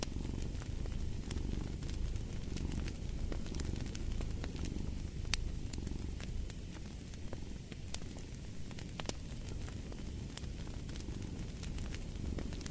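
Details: Low, rolling cat purr with a steady throbbing rhythm that swells and eases over several seconds, overlaid by frequent snapping crackles of a burning fire.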